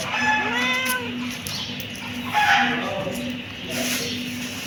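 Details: Kitten meowing: a long bending meow opens, followed by a softer second meow, over a droning low hum and light rustling.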